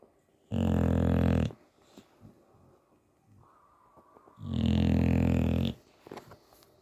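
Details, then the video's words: A sleeping English bulldog gives two long, heavy, rumbling snores about four seconds apart, the second one longer, with soft snuffles and faint clicks in the pauses. "Bulldog Snoring"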